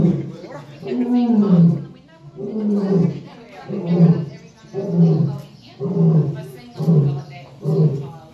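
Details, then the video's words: Lion roaring: a series of deep, harmonic grunting roars, about one every second, each swelling and then fading, with a loud sustained roar at the start. "A lions roar"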